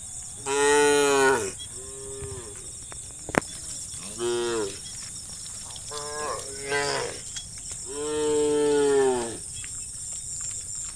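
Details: Cows roaming a country road in late afternoon, calling their herd-mates home to the barn; five drawn-out moos, some loud and some softer, spaced a second or two apart, over a constant high insect drone.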